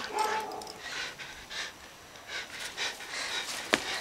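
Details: Roca, a dog, pants while playing with a toy duck: soft, breathy bursts of noise repeat roughly every half second, fairly quiet, with a sharp click near the end.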